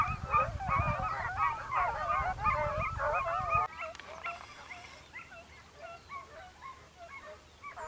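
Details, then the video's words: Segugio Italiano hunting hare in Evros, Greece, October 2023: a pack of hounds giving dense, overlapping yelping bays with wavering pitch for nearly four seconds, then fainter, more distant baying continuing for the rest of the clip. "segugio italiano sofiko evros"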